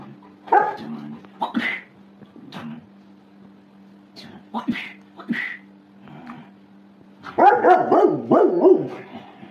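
Short, harsh barks and higher yips from a Golden Retriever come in irregular bursts, bunching into a rapid run near the end. A person's voice is heard among the barks over a steady low hum.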